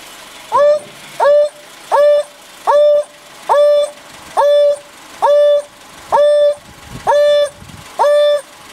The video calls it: African Wild Dog Calling